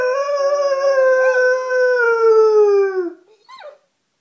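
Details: Pet German Shepherd Dog howling along to a recording of other dogs howling: one long, clear, slowly falling howl lasting about three seconds, then a brief short upward yelp.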